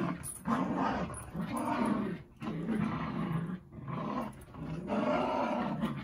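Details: Dogs playing, with rough, rumbling growls in long sustained bursts separated by short pauses, roughly four bursts in six seconds.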